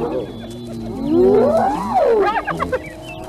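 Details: Hyenas fighting; a rising then falling whooping squeal lasting about a second and a half, followed by shorter chattering yelps over a steady low background hum.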